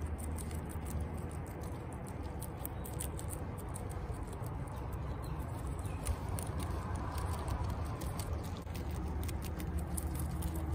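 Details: Guinea pigs (Cavia porcellus) eating celery: quick, crisp crunching and chewing clicks over a low steady hum.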